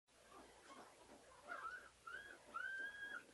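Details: Pink Collar, a white female purebred CKC pug puppy, gives thin high whines: three short tonal whimpers, each longer than the last, the final one drawn out and steady, with faint murmuring in the background.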